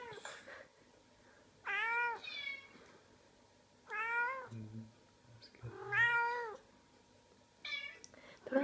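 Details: Cat meowing indoors as it hears other cats on a computer: repeated harmonic meows, some bending downward, roughly every two seconds, with a brief low thump between calls.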